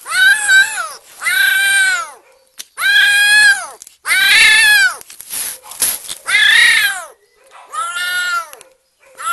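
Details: Overexcited, happy kitten giving loud, drawn-out meows, some long and wailing, others shorter and strained, separated by brief breathy noises.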